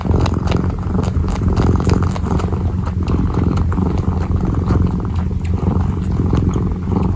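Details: Close-range purring of a kneading kitten. A deep, continuous rumble runs throughout, with faint clicking and rustling from the kneading on top.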